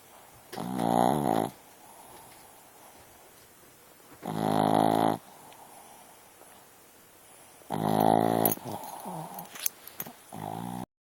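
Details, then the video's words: Snoring dog asleep, giving three long, rough harmonic snores roughly every three and a half seconds, each near a second long, with soft snuffling sounds after the last. "Dog Snoring"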